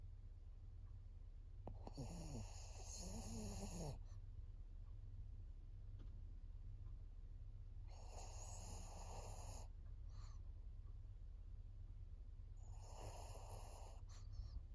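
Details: Elderly fawn female pug Maria, aged fourteen, in Japan on 22 September 2024. She snores rhythmically: three rough, buzzing inhalations roughly every five to six seconds, each about two seconds long and followed by a short breath out. Steady low hum underneath.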